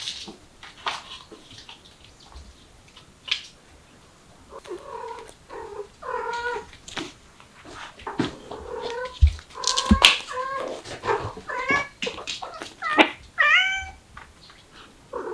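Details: Mother cat with kittens trying to escape through a window; repeated short rising and falling meows, several overlapping, with clicks and bumps and a soft low rumble.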